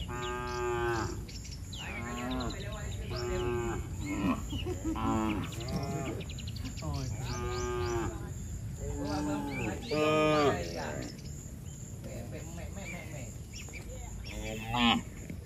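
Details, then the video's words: A group of tame cattle running for shelter from rain moo over and over, overlapping harmonic calls nearly every second or two, some wavering, amid rain noise and high chirping in the background. "Suara sapi Moo"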